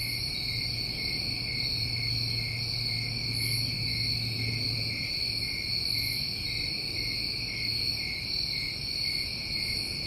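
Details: Crickets on a New England summer night form a dense, steady chorus of high, ringing trills layered at several pitches, with brief buzzy bursts above and a faint low hum underneath.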